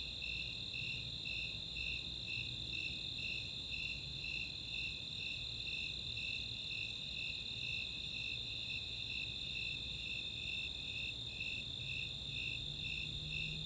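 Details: Summer night chorus of Snowy and Four-spotted Tree Crickets in open space at Chautauqua, Boulder, Colorado; evenly spaced bright chirps roughly two per second ride above an unbroken shrill trill, with faint high ticking from Greater Angle-wing Katydids.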